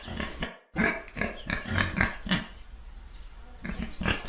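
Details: Pig oinking in a rapid, choppy series of rough grunts after a brief silence, with the calls thinning out into a quieter stretch near the end.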